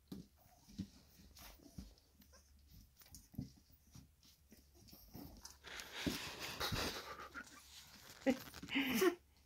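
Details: Four-week-old Staffordshire Bull Terrier puppies from a litter, just woken indoors in June; soft irregular panting and breathy whimpers, a louder rustling burst midway and a few short squeaky yelps near the end.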